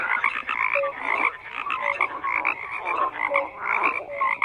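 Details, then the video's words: A frog chorus of continuous croaking. High, buzzy chirps repeat roughly twice a second over a steady wash of overlapping rasping calls, with an occasional lower short note. "FROGS CROAKING"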